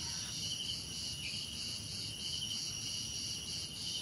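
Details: Steady ringing cricket trills fill this short stretch, high and finely pulsed, over a soft low rumble.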